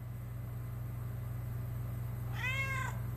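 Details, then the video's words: A pet cat answers its owner in conversation with a single clear, slightly arched meow rich in harmonics, after a long stretch of low background hum. "Talking with my Cat"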